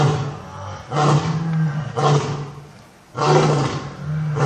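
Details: A lion in a zoo gives three heavy, rough, throaty roars about a second apart, with pauses between them, over a low, steady hum.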